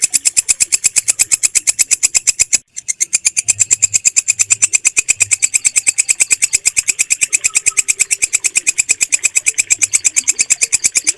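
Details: Clean recording of a walang kecek katydid, used as a mastering tone for pet birds: a dry, high, buzzy chirp repeats evenly about three times a second, with one brief gap near the start.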